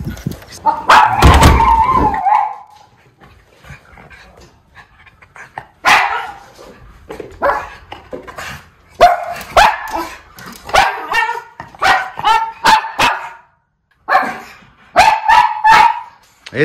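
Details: A pair of seven-year-old white miniature Schnauzers in Aroostook County, Maine, go ballistic at a muskrat outdoors in February. A long run of rapid, irregular barks and yips, about three per second at times, has brief quiet gaps and includes some whimpering.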